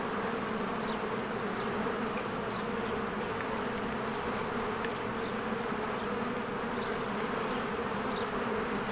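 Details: A spring beehive with swarms of honeybees flying in and out: a constant droning hum of countless wings, with several brief, faint bird chirps scattered over it.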